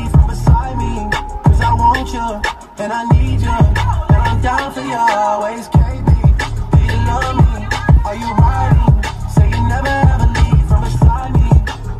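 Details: Loud hip hop track with a rapping voice over heavy bass and a beat, with no animal sounds.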